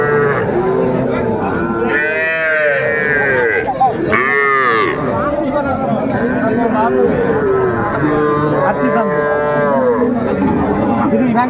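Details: Several small Sahiwal bull calves for sale at a Dhaka cattle market, Bangladesh, 11 February 2025: a steady chorus of drawn-out, wavering moos overlapping one another through the clip, over background voices.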